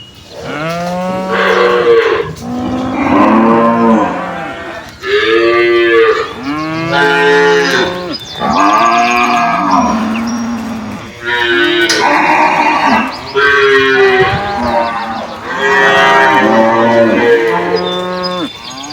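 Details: Penned cows answering each other with a steady series of loud, wavering moos, about seven calls in a row separated by short pauses.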